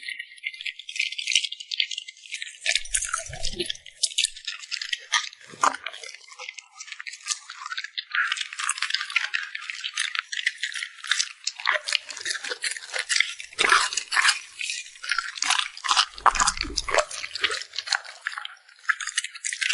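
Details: Puppy chewing and smacking its lips over food, a long, busy run of crunchy, crackling clicks with occasional deeper thuds, steady in intensity throughout.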